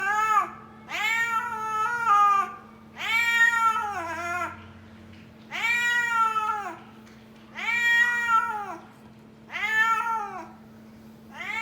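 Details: Indoor pet kitten calling for food: six loud, drawn-out meows, each rising then falling in pitch, repeated about every two seconds, with a steady low hum underneath.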